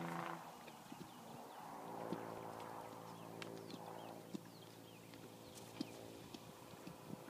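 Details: Horse giving a greeting: a low, harmonic nicker opens the clip and rumbles softly for about two seconds, followed by scattered hoof clops and knocks, with small birds chirping steadily in the background.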